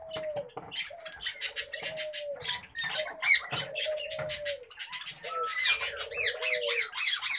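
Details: Captive common babblers kept as pets produce a dense, scratchy chatter of quick squeaky notes and a few rising whistles, with a low, smooth, wavering tone running beneath at intervals.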